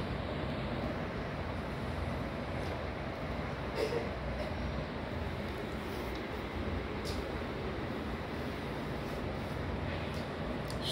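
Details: Steady low rumbling vehicle or train noise fills the recording, with a faint thump near four seconds and no animal voice.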